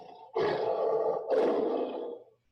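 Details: Lion growling to warn approaching animals that this is its territory; two long, harsh, low rasping growls run together, the second starting louder and trailing off.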